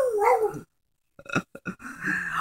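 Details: Pet dog howling indoors after its owner says the word Tuesday: a wavering, tonal howl, a short silence, a few clicks and knocks, then a steady, drawn-out howl that holds to the end.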